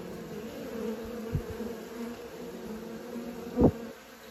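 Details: Honey bees learning to fly give a constant low droning hum, interrupted by a couple of short sharp knocks or bumps near the middle and end.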